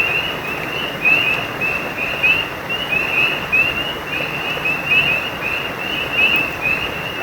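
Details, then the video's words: Frogs beside a stream: a steady run of short, bright chirps repeated in quick succession at one high pitch, laid over a constant broadband rush of flowing water. "Efeito sonoro de rãs e riacho"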